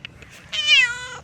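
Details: Talkative female stray black cat meowing while being patted: one loud, clear meow, rising then slowly falling, about three-quarters of a second long, preceded by faint chirps.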